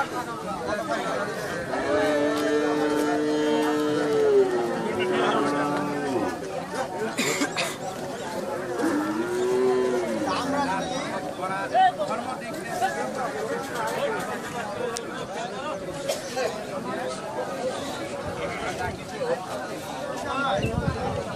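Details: Friesian cow kept with her Friesian bull calf, for sale, yielding 8 litres daily, recorded 18 March 2018: a drawn-out moo of about three seconds, a shorter lowing call later, then steady human chatter.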